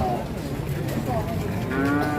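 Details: Giant Pegon cattle at a crowded cattle market in Indonesia; a low, drawn-out moo with stacked harmonics sounds near the end, over steady crowd murmur and background music.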